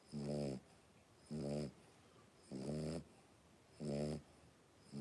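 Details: Five blenheim Cavalier King Charles Spaniel puppies, three weeks old, wrestling in a home pen; loud, rich, growly grunting breaths with many overtones repeat a little slower than once per second, four full bursts.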